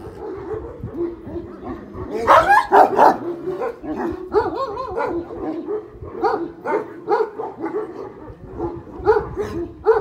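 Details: Several one-year-old Kangal dogs with black-grizzled coats barking together on a Kangal breeding farm; overlapping barks and yips roughly twice a second, with a loud cluster early on and a steady chorus running throughout.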